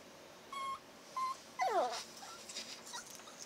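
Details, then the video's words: Chihuahua puppy making talking noises while his ear is blown on to warm it: two brief high whistled whines, then a longer falling, wavering yowl; soft rustling afterwards. "Chihuahua #1 (Cashew) Talks with his mommy"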